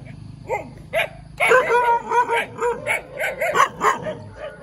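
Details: Puppy giving a few spaced high yips, then a fast run of yapping barks, with a low hum in the background at the start.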